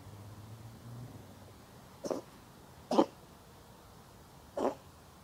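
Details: Lap-sitting stray cat sneezing three times within about three seconds. Each is a brief explosive puff, with uneven gaps between them, over a low steady background hum.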